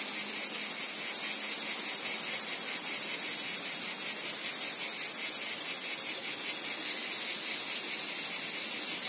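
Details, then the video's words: Wheat field cicadas produce a loud, unbroken high-pitched buzz, finely pulsed and slightly throbbing in loudness throughout, with no other clear sounds. "Wheat Field Cicadas Background Noise"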